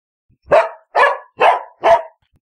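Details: Labrador Retriever dog barking four times in a steady series, each bark short and rough, spaced about half a second apart, against a clean silent background.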